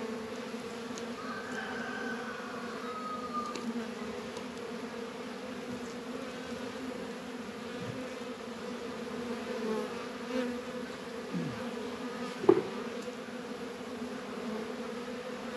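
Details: Steady drone of honey bees at a Warre and Langstroth hive in a northern Kentucky apiary, warm 72-degree winter day in February. A faint thin whistle early on and a sharp click near the end.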